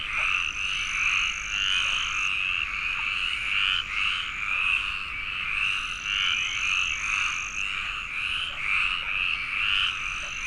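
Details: Numerous frogs calling together at a pond in the Landes forest, France, home of the Iberian tree frog: continuous grating croaks layered densely, rhythmic swells, and a recurring thin high whistle-like tone in the background.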